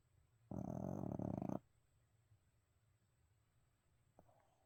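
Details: Abel, a pet dog dozing indoors that leaps up when snacks come up, lets out a single rattling, pulsing snore about one second long, followed by near silence and a soft click.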